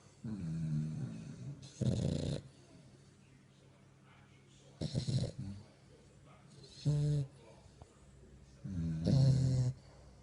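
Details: A French bulldog puppy asleep at night, filmed in the dark, snores in low, rattling bursts, each a second or so long.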